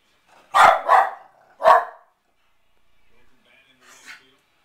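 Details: Watching a baseball game on TV, a Pembroke Welsh Corgi barks at the pitchers for not throwing him the ball: three quick, punchy barks in a row, followed by faint background sounds.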